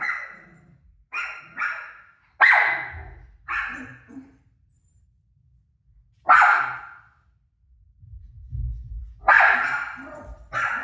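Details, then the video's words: Barking dog Rosie answering her own TV barking: irregular loud barks, some in quick pairs, separated by longer lulls, with a low rumbling background noise in the quieter stretches. "Crazy Rosie Barking At Her Barking Self On TV"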